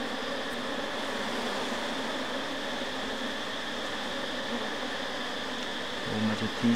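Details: Asian honey bees at their hive just after a honey harvest, as frames go back in: a steady, dense, even droning hum that stays level throughout, with a brief low thump near the end.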